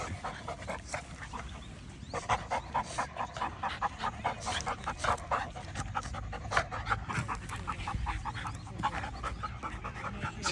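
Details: Staffordshire Bull Terrier puppy on his first big day at a dog park, meeting many large dogs: quick, rhythmic panting breaths, roughly three per second, steady and breathy over a constant outdoor background hiss.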